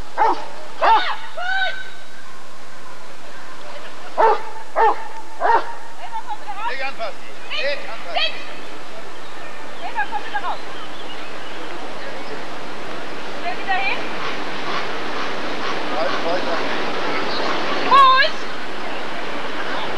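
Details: Rottweiler at the 1994 ADRK Körung breed survey, giving short, sharp barks in quick clusters of two or three during the first six seconds, then quieter yips under ongoing human voices and crowd noise.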